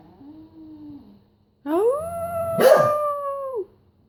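A beagle gives a soft rising whine, then a loud drawn-out howl that rises and holds before dropping.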